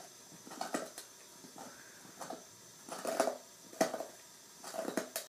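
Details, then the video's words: A nine-month-old female Saint Bernard gnawing a big new bone indoors, with crunching and scraping bursts every half second or so, louder clusters of crackling bites near the middle and end. "Saint Bernard Eating big bone"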